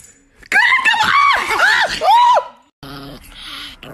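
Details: Chihuahua named Nikki giving a quick run of four or five arched, whiny yelps, each rising then falling in pitch. A short silence follows, then fainter household noise.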